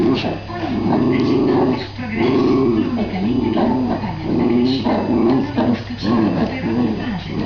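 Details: Two Jack Russell Terriers, a young dog and its father, at play; long stretches of rolling, warbling growl-whines rise and fall almost without break over a steady low background hum.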